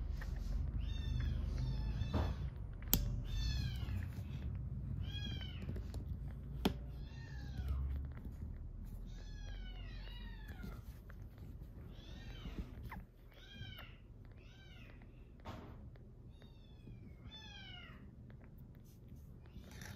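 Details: Rescued kitten on its sixth day of a growth record, purring as it is stroked: a continuous low rumble beneath repeated high, falling, harmonic mews every second or so, with occasional handling clicks.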